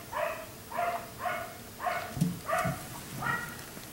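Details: Black Labrador retriever kept outside late into the night, barking in a steady series of six harmonic barks about every half second, with faint dripping or patter sounds in the background.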